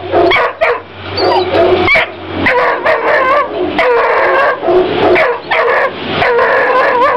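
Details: Three-month-old female Walker Hound puppy giving a run of short high yips and barks, some with wavering whiny pitch, in quick bursts with brief pauses, close and loud.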